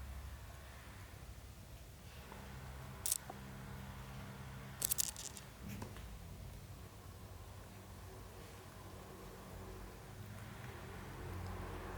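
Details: Quiet indoor room tone with a low steady hum, a couple of brief sharp clicks or snips around three and five seconds, and faint rustling; no animal voice is heard.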